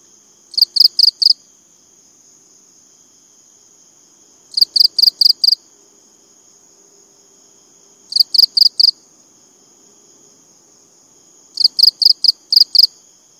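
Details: High cricket chirps come in four groups of four or five quick pulses, repeated roughly every three and a half seconds. A constant shrill tone stays in the background.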